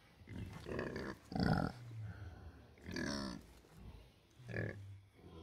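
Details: Snoring rescued pigs Tabitha and Amber grunt in their sleep, seemingly chatting to each other. Deep, nasal grunts come in separate pulses about once a second, with low droning snores between them.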